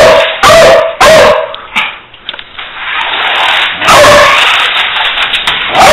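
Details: Beagle letting out two or three sharp ringing barks, then a quieter stretch of soft rustling before another loud bark near the end.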